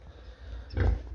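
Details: Female wild boar sow, one year and three months old, kept on a small farm in Romania, grunting once, low and short, as she is brought in a cage to the scale for weighing, over low background rumble.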